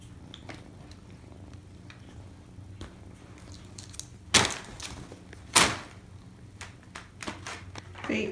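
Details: Domestic kitten purring indoors in a foster nursery, a low steady rumble running under the whole stretch, broken by two sharp knocks partway through and light rustling and handling noises near the end.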